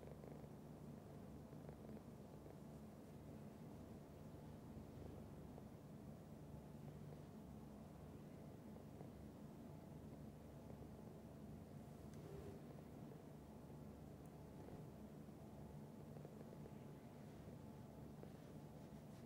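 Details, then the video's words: Long, even purr of a pet cat: a deep continuous vibrating rumble without pauses, with only faint occasional rustles above it. "Cat Purr"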